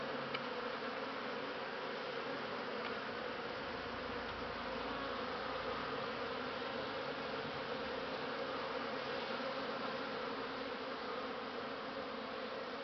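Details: Steady humming of honey bees on Christmas Eve 2015 in December, a constant broad drone holding level for the whole stretch, with a faint tick or two near the start.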